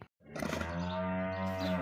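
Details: A cow with a muzzle rupture giving a single long, steady, droning moo after a brief silence, low and harmonically rich, holding level for over a second.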